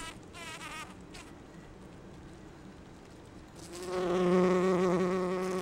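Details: Faint rustles and a quiet low hum give way, after three and a half seconds, to a loud, close, steady droning buzz from a bumblebee like Bombus ardens or B. ignitus foraging for pollen among rhododendron blossoms.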